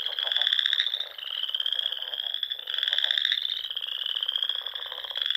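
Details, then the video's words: Frogs in spring in the Sandhills of Nebraska, among small lakes and ponds in rolling dunes at dusk: a dense, continuous high trilling chorus, with overlapping callers swelling and fading every couple of seconds. "RELAXING SOUNDS OF FROGS"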